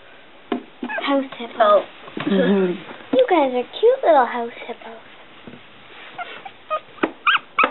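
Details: One-week-old Smooth Coat Collie/Coon Hound/Pomeranian mix puppies, a noisy litter, squabbling; high wavering squeals and whimpers sweep up and down in quick irregular bursts, with soft human speech at times.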